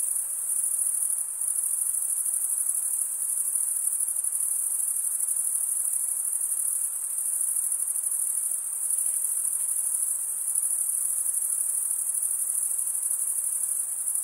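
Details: Crickets chirp by stridulation, males scraping one wing against the serrated vein of the other, giving an unbroken high, metallic trill at steady volume with faint pulsing and a few slight dips across the stretch.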